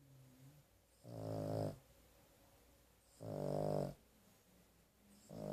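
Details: Carley, a sleeping dog resting indoors after a rough day and a trip to the vet, snores in rasping, harmonic-rich bursts about two seconds apart, each lasting under a second, with quiet breathing between.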